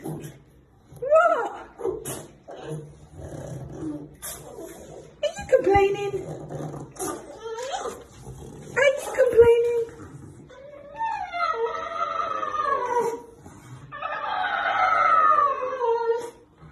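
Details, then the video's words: Mork, a rescue dog saved from the meat trade in China and now adopted, makes a sound likened to an elephant indoors: rising and falling whining wails with harmonic layers, longer trumpeting cries near the end, a low hum beneath. "Dog sounds like an Elephant"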